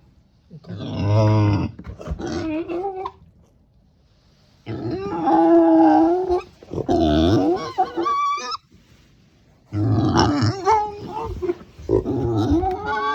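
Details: Female pet micro pig in Miyazaki Prefecture, Japan, making a voice never heard from her before: three bursts of wavering, whining cries mixed with low grunts, each about three seconds long and separated by silence.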